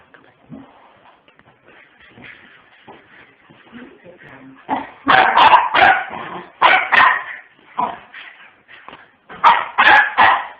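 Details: Pomeranian puppies: faint whimpers and soft squeaks at first, then loud, rapid, high-pitched yips in irregular bursts from midway, roughly three per second, with brief pauses between clusters.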